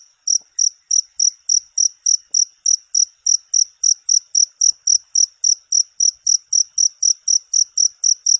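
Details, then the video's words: Shrill cricket chirping used as a model for songbirds to learn: brief buzzy high pulses repeating about three times a second in a regular rhythm, with nothing else audible. "Suara masteran jangkrik untuk segala burung kicau"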